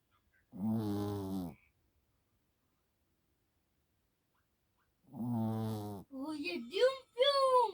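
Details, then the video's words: A Yorkshire Terrier snoring indoors: two low, rasping, rattling snores, each about a second long and spaced roughly four seconds apart, followed by a high-pitched human voice speaking at the end. "요크셔 코골이"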